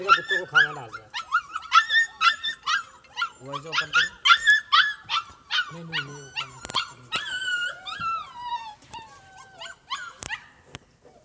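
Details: Young Siberian Husky puppies kept in Lahore, Pakistan, yipping and whimpering in quick, short, high notes repeated about twice a second, then trailing into softer falling whines toward the end.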